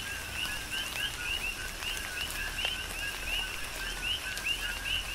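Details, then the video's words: Coqui frogs calling together through a tropical rain shower on the Big Island of Hawaii. Upward-sweeping high chirps paired with lower notes repeat in quick succession from several callers, over even rainfall and occasional drip sounds. "Tropical Rain & Coqui"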